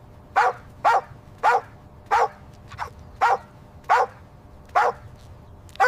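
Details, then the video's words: Puppies at play on fresh grass; sharp single barks repeat roughly every half second to second, nine in a row, over faint low background rumble. "Adorable puppies having an insanely cute playtime on fresh green grass – Dog barking sounds"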